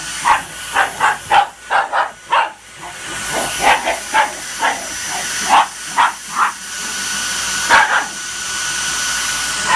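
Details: Shiba Inu reacting to a vacuum cleaner, giving a rapid run of short, sharp yapping barks, about fifteen in ten seconds, some in quick pairs, over the steady high whine and hum of the running vacuum motor.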